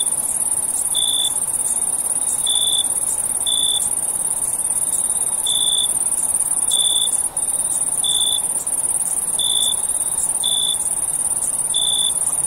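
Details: Crickets at night: a steady high-pitched trill underlies evenly spaced short lower chirps, arriving about every second to second and a half.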